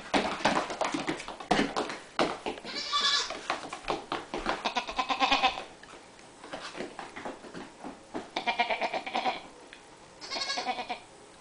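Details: Pair of young female goats wearing color-coordinated sweaters in a kitchen, leaping about; repeated shaky, nasal bleats in several separate bouts, mixed with clattering and tapping sounds.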